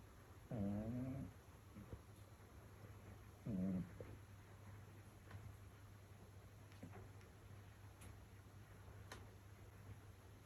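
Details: Sleeping cat snoring on a rainy evening, with two low, grating, wheezy snores close together at the start, then a quieter stretch with only faint scattered ticks and a steady low hum.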